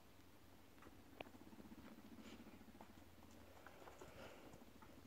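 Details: Two or more male guinea pigs contest dominance. A low, fast-pulsing rumble swells across the middle of the recording, with one sharp click near the start of it and light pattering before and after.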